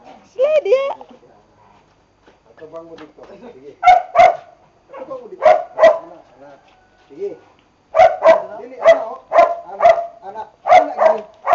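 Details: Bonbon and Melchor, Boxer dogs working with their trainer, give a paired bark, pause while a person talks, then bark again in a fast run of about seven sharp, evenly spaced barks.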